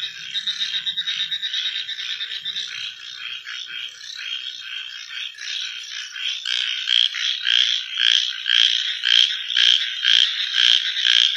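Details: Frogs calling at night: a steady high trilling drone for the first six seconds, then loud pulsed croaks joining in, about two per second, over the continuous chorus.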